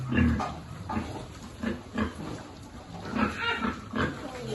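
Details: Piglet at feeding time on a pig farm gives short, low grunts spaced about half a second apart, mixed with a human voice talking over them.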